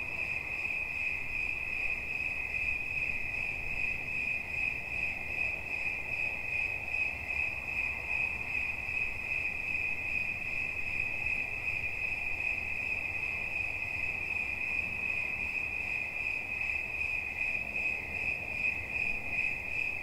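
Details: Cricket chirping nonstop in a relaxing recording: a high, bright, finely pulsed trill holding one steady pitch with a faint higher overtone, repeating rapidly and evenly for the whole stretch over a soft low background hiss.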